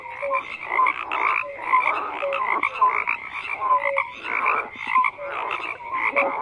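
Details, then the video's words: Numerous frogs calling at once: rattling croaks and brief whistled notes overlap in rhythmic pulses, loudness rising and falling about once a second. "FROGS CROAKING"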